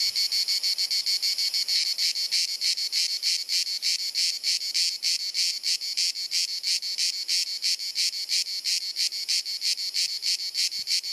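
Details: Croatian cicadas fill a hot sunny Dalmatian afternoon with repetitive clicking, chirruping song: a dense high-pitched buzz throbbing in regular pulses, about three each second, continuous throughout.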